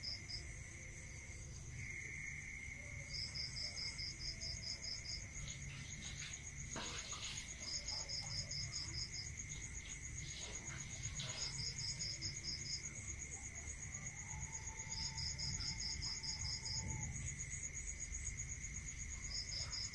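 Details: Crickets at night in a rural area: a steady high continuous trill with bursts of rapid pulsed chirps repeating in runs of a few seconds, over a lower constant tone and soft rustling background noise.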